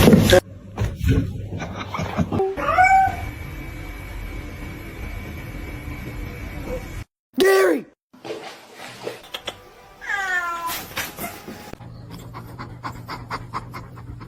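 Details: Domestic cat meowing several times, drawn-out tonal meows with rich overtones, some sliding down in pitch, mixed with people talking, laughter and background music.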